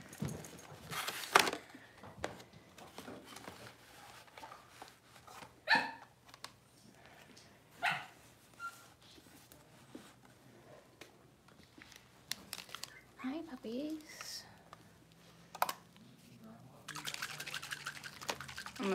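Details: Cavalier King Charles Spaniel puppies, six weeks old, being dewormed and having toenails trimmed in their pen: short sharp yelps and barks come irregularly, roughly every few seconds, with handling noise and faint voices in between.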